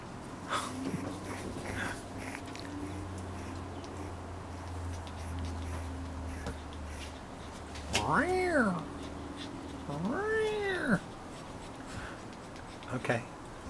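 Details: Six-week-old Cavalier King Charles Spaniel puppies, five in all, romping on a deck with their mother; two drawn-out, arching whines rise then fall late on, amid people chatting and a low steady background hum.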